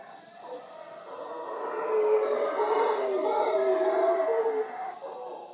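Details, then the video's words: Wild howler monkeys on a morning visit at Villa Toucan, Punta Uva, Costa Rica, beside the Manzanillo Wildlife Refuge; a deep, rasping roar rises to a loud sustained peak for several seconds, then tapers off. "Howler Monkeys of Punta Uva Costa Rica"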